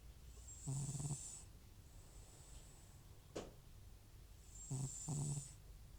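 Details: Butcher, an elderly rescued FIV-positive house cat with recurring runny nose and sneezing, snores loudly in sleep; two raspy, wheezy snoring breaths roughly four seconds apart, each with a thin high whistling hiss, and a brief sharp click between them.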